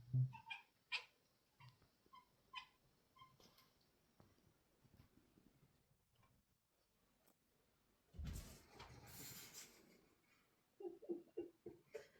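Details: Domestic cat making weird sounds: a run of short, bright chirps over the first few seconds, a quiet stretch, then a loud rustling burst, followed by rapid, lower-pitched chattering calls at the close.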